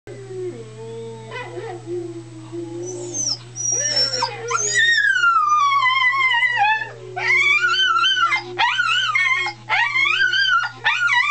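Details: Domestic dog howling along after hearing a recording of other dogs howling, which it recognises as a deceased companion; quiet whines early, then long wavering howls with rising and falling pitch, overlapping and stopping briefly, with a steady low hum throughout.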